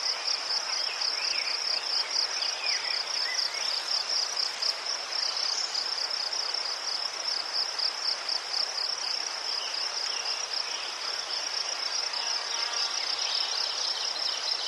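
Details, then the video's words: Crickets chirping in Ukraine, among chrysanthemums; a shrill, high, steady pulsed trill runs without a break, fast rapid beats in an even stream, with a soft hiss of other insects behind. "Заспокійливий звук цвіркунів//The soothing sound of crickets"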